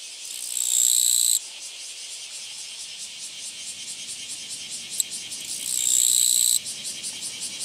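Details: Japanese katydid met along a walking path, recorded 24 August 2017; two loud, high, hissing buzzes about a second long each, rising in strength and cutting off sharply, separated by several seconds of quieter chirping background.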